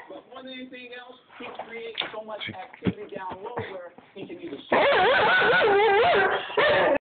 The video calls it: German Shorthaired Pointer Speaking